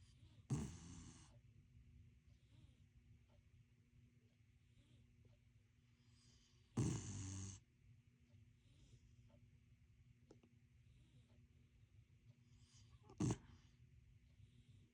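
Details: Corgi. A sleeping corgi gives three separate snores, each a short, rough, breathy rasp with a low rumbling base. Long quiet pauses of about six seconds fall between them, over a faint steady background hum.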